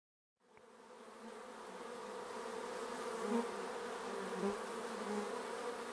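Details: Bees buzzing around a hive at an apiary, a steady layered hum starting abruptly after a brief silence, with low droning tones and individual bees swelling louder as they pass close.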